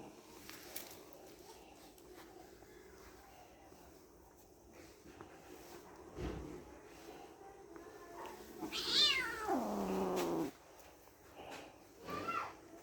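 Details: Kittens playing with each other; after quiet rustling, one clear meow near nine seconds that drops steadily in pitch over more than a second, followed by a faint brief squeak near the end.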